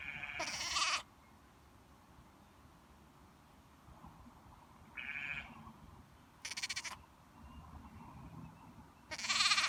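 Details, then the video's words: Baby lamb on a farm bleating: four short, hoarse, nasal baas spaced a few seconds apart, the first and last loudest, one quieter in the middle. Faint background murmur between calls. "Cute baby lamb bleating - Baby lamb makes baaing sounds"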